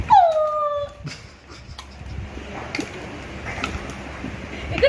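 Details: Female pet dog with a new spinning, lit-up toy gives a single high whine that falls and then levels off. A woman speaks and household noises continue after the whine, and a faint new whine starts at the very end.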